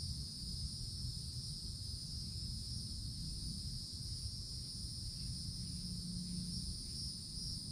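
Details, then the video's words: A cicada chorus from a summer forest canopy: a constant high-pitched droning buzz lasting throughout, layered over low background rumble. "Forest Canopy in the Summertime With Cicadas Sounds"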